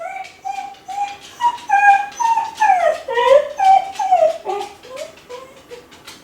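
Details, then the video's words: Kai Ken named Ichi, left home alone and lonely, crying out as if calling the family back; a run of high whining notes, wavering and sliding, repeated roughly twice a second with overlapping tones. "甲斐犬の遠吠え！🙀】留守番犬の鳴き声 ！狼みたいだけど寂しい声に切なさも感じる"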